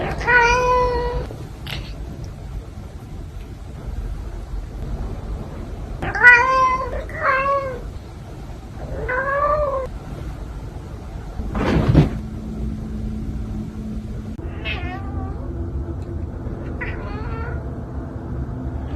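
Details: Pet cat meowing indoors in a funny cat compilation: several separate short meows, each bending up then down in pitch, spaced a few seconds apart, with a knock and a low hum in between.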